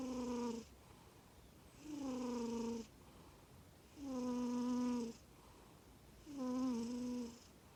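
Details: Komatsuna, a male black-and-white Norwegian Forest Cat born 18 April 2020, snoring loudly at home: four drawn-out, tonal, slightly wheezy breaths, each about a second long, repeating roughly every two seconds with quiet gaps between.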